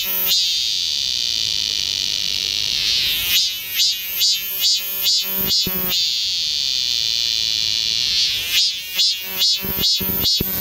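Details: Galsan Park cicadas, Seoul, in a summer woodland chorus: continuous high buzzing drone interrupted twice by runs of loud rhythmic throbbing pulses, about two per second, each run lasting a couple of seconds.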